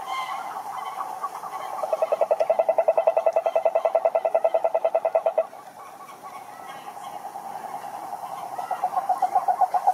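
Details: Cane toad beside a lake in Brazilian Atlantic Forest gives a loud rapid pulsed trill lasting about four seconds, then softer distant trilling continues before another toad starts up near the end.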